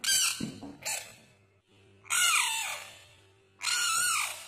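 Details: Frogs fighting give loud, harsh screams: a short burst, then two long shrieking cries that start high and slide downward, with a steady low hum under them indoors.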